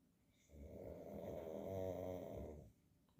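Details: Sleeping pug snoring indoors in a small room: one long rumbling, buzzy snore lasting about two seconds, swelling then fading, with a low throaty rattle and faint breathing around it; a person speaks right afterward.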